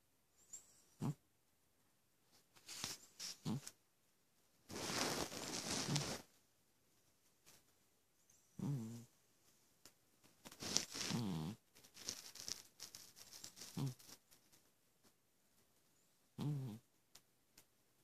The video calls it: Horace the Persian cat snoring. Heather Deptuch